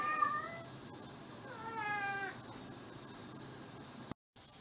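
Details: An indoor mixed-breed house cat, roughly twelve years old and Maine Coon-like, gives a brief meow, then a longer drawn-out wavering meow, with soft room background.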